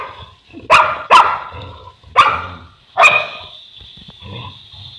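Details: Boerboel, or South African Mastiff, one of two such dogs living in Egypt, gives four heavy barks, two close together, then two more spaced about a second apart, followed by softer rumbling noise.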